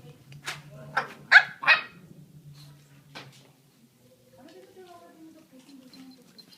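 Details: American Staffordshire Terrier puppies with several sharp high yips and barks in a quick burst, then softer whining whimpers over a steady low hum.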